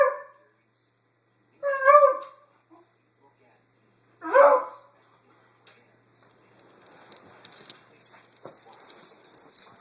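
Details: On a Sunday morning, Lucy the dog barks at nothing, caught on an Android phone: two clear, ringing barks two seconds apart, followed by faint rustling and scratchy handling noise.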